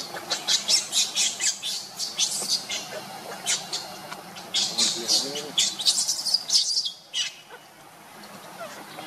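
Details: Monkeys: Luna, a mother, runs fast carrying her baby Luno while Rainbow tries to take Luno from her. Harsh, high, broadband squeals come in rapid bursts for about seven seconds, then fall quiet.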